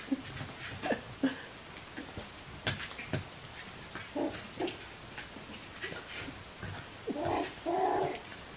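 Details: A litter of Bichon Frisé puppies, the V litter, giving soft scattered whimpers and brief squeaks, ending in two louder, nasal, drawn-out whines over quiet indoor background noise.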